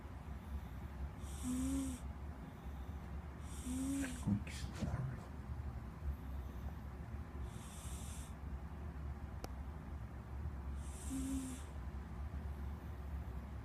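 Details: Squeak the pet cat snoring in rasping, hissy breaths with a faint whistled tone, spaced irregularly, with a brief clatter near the middle and a constant low hum beneath.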